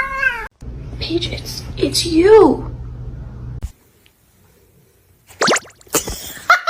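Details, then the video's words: Kitten giving brief meows, a short falling cry followed by a bending, wavering meow over a steady low hum, then silence and a few sharp bursts of noise. "kitten meowing cute"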